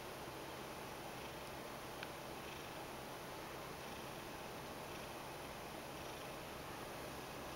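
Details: Ragdoll cat Mojio rolls over and kneads, begging for attention; a soft, steady low purr runs throughout under quiet indoor hiss, with one faint click near the middle.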